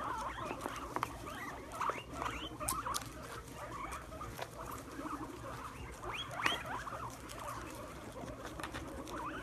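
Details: Pet guinea pigs eating Brussels sprouts make busy crisp chewing and nibbling sounds, with frequent short squeaky notes, occasional sharp snaps and a constant low background hum.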